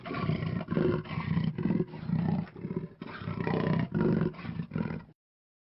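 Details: Panther, a big cat, giving a series of deep rasping roars and growls, about eight pulsed bursts over five seconds, rough and low-pitched, ending abruptly.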